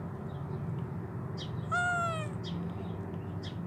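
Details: Homeless kitten, hungry, with both legs amputated and troubled eyes, lets out one clear falling meow lasting about half a second, with short high chirps around it and low background rumble.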